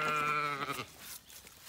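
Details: Zwartbles sheep on a farm in County Kilkenny, Ireland, while the lambs' escape route is being blocked: one steady, clear bleat lasting under a second, then faint handling noise.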